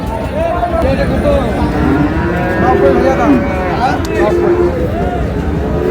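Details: Friesian and crossbred bull calves at the Raniganj cattle market on 10 August. Short mooing calls rise and fall through busy market noise, with men's voices haggling over prices and a steady crowd hum.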